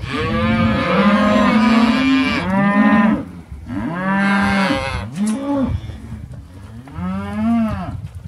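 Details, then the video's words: Lloyd cows and calves lowing: long drawn-out moos in a few separate bouts, each swelling then sagging in pitch, with short quiet gaps between the calls. "Lloyd Cows & Calves"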